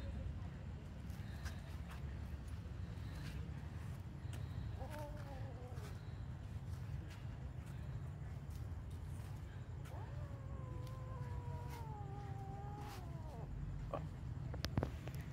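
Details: Cat making a short wavering cry, then a long, level, drawn-out wail lasting about three seconds. Low background rumble and scattered taps.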